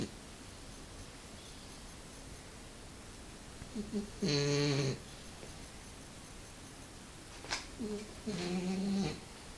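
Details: A French Bulldog, Nikohika, sleeping comfortably on a sofa, snores in two drawn-out, rasping, low-pitched breaths about four seconds apart, each roughly a second long, with quiet indoor room tone between them.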